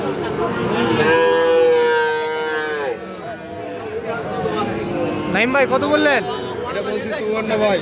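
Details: Sahiwal bull calf at Aftabganj market, Bangladesh, 6 August 2025: a long steady harmonic moo followed by shorter bellows, with people talking close by.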